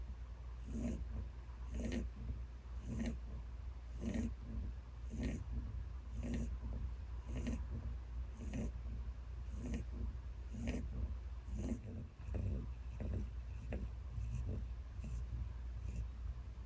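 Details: Very elderly pet rabbit, ten years old, sleeping and snoring loudly: steady rhythmic snores, one roughly every second, about fifteen in a row, each a soft rasping breath with a brief hissy top, over a constant low hum.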